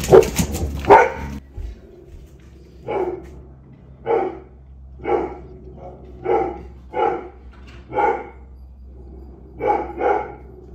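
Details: Zazu, a pet Labrador, barking in excitement at the neighbourhood cat that teases the dogs; a steady run of sharp barks roughly every second over a low hum, after an opening burst of noise.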